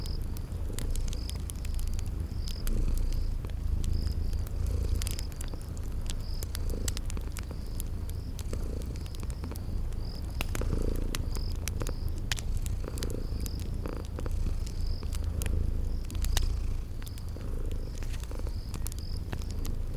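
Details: Sleeping kitties purring beside a crackling fireplace in a spring garden setting: a steady low rumbling purr pulsing throughout, with sharp fire crackles and short high insect chirps repeating in the background.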